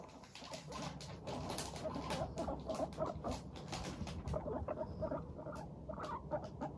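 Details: Happy pet guinea pigs, Teddy and Abyssinian, walking briskly and chattering: rapid, irregular soft putts and scuffling patter, several animals overlapping in a busy, continuous murmur.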